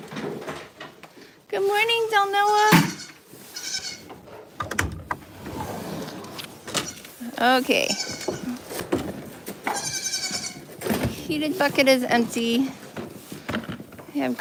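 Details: Farm goats bleating in short, trembling bursts spread across the recording, some higher and rising, with a busy, noisy background between calls.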